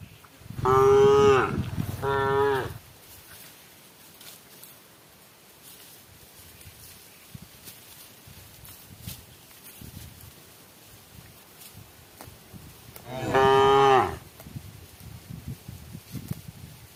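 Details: Cow calling its herd, cows eating together as evening approaches: two loud, drawn-out moos in quick succession, then a long quiet stretch with faint rustling before another single long moo near the end.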